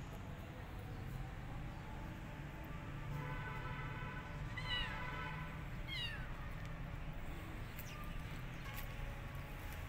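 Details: Rescued kittens, wary of a giant rabbit, give a few short meows around the middle, thin harmonic cries with a falling tail, spaced over a couple of seconds above a steady low background hum.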